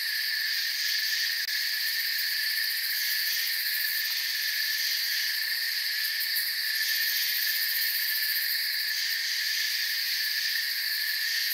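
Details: A night-time forest ambience dominated by crickets: a thick, continuous high trilling chorus from numerous insects at an unchanging level, with a couple of faint short ticks.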